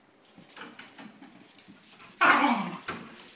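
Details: Dogs wrestling in play: soft growling and scuffling noises, followed by one loud, harsh bark that drops in pitch, then a quieter yelp.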